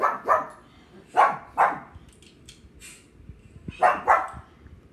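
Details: Thor, a pet pug, barks at dogs barking on television: three pairs of short, sharp barks separated by quieter pauses with faint background sounds.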